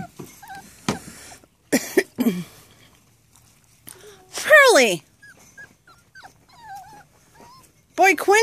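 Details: Rat Terrier puppy, seven and a half weeks old, stuck with a leg caught while climbing, gives two loud, falling, high-pitched whining cries about four seconds apart, amid a woman's soft talking and faint shuffling.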